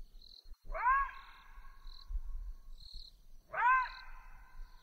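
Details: A southern African side-striped jackal gives two hooting, rising-then-level calls about three seconds apart, with a faint high whistle-like tone in the background.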